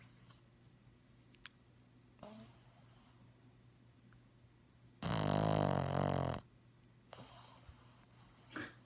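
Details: Sleeping Bugg puppy named Ladybug, eyes open and tongue out, lets out a single loud, rough, rattling snore of over a second amid quiet room hum and faint breaths.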